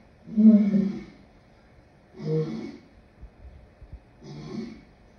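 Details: Lion calling with three low, hoarse grunts that grow shorter and softer, the first the loudest, with faint huffs and breaths between them.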